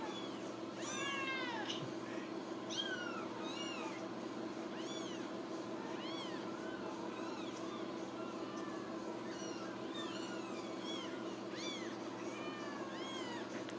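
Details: Several Ragdoll kittens born and raised in a central Kansas home cattery call in quick, overlapping squeaky mews, each rising then falling, bunched in bursts with brief lulls, over a constant low room hum.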